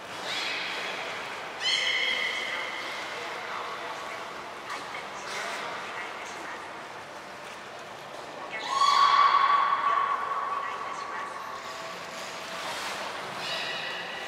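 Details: Captive belugas Hodoi, Taanya and Mirai at Port of Nagoya Public Aquarium on 23 February 2021, during a pool transfer and training. Bursts of nasal, harmonic squeals, then one long steady whistled tone midway, with people talking and splashing water throughout.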